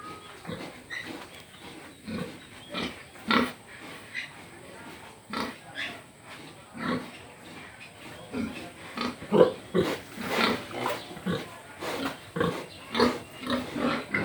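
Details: A domestic pig (Sus scrofa domesticus) grunts repeatedly in short, rough, irregular bursts, with faint human voices in the background.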